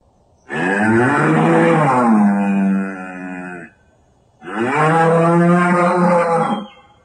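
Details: Two drawn-out, powerful bellows from a banteng, each about three seconds long, deep and cow-like with a slight falling bend at the end, separated by a brief silence.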